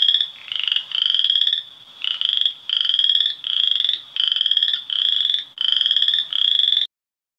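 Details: Western chorus frogs in Ontario, sharing breeding pools with spring peepers and calling from March: a rapid run of eight pulsed, upward-sweeping creaky trills, each under a second, repeated with short gaps, then silence.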